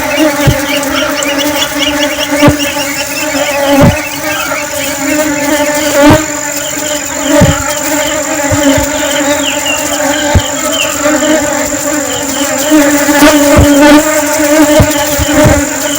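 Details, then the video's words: Honey bee in flight: a loud, steady droning buzz with layered overtones that waver slightly in pitch, broken by sharp clicks every second or two and a fainter high whine. "Honeybee flying sounds"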